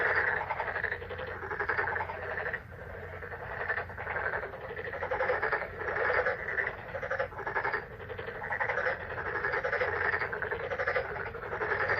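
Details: Frogs in May, a dense croaking chorus of many callers, rapid pulsed notes overlapping continuously with brief dips in loudness, a steady low hum beneath.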